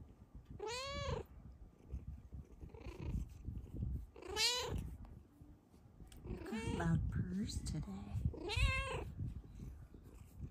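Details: Luna, a Bengal cat, meowing happily while lying on top of her sleeping owner; several rising-falling meows spaced a few seconds apart over low rumbling purr-like noise, with soft human voice nearby.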